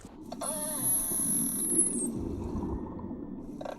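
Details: Beluga whale (Delphinapterus leucas) contact call, a thin sustained whistle with a brief wavering tone, used only when a beluga is isolated from the group, connecting a mother and calf; Canadian Arctic.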